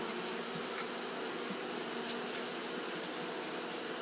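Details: Steady humming buzz from Japanese honey bees fanning on a hot day, even throughout, with a few brief louder zips of individual bees passing close.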